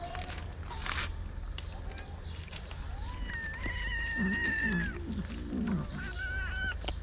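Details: Angry kitten among Moroccan street cats, refusing treatment as its mother looks on: a higher, drawn-out whining meow over a second long, overlapping low, pulsing growls, then a shorter whine, amid handling noises.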